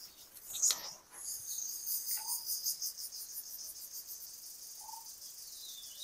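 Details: Crickets calling in a village at dawn on a foggy, cool morning: a steady, shimmering high-pitched trill pulsing rapidly throughout, with a few faint short chirps beneath it.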